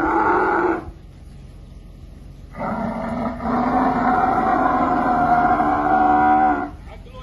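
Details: Two drawn-out hoarse bellows from a she-camel during her rescue from a well. The first is brief and cut off, and after a pause a longer harmonic groan swells slightly and then stops.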